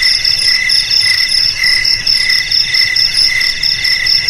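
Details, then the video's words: High, ringing cricket trill with closely stacked tones, rapid pulsing and gentle rises in loudness about twice a second. "Suara JANGKRIK Pengusir TIKUS"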